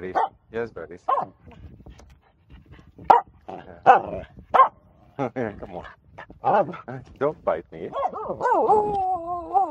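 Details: Pet Finnish Spitz on a jetty in a bay, giving rapid yappy barks spaced unevenly, then a drawn-out wavering whine that rises and falls near the end, with a woman's encouraging voice mixed in.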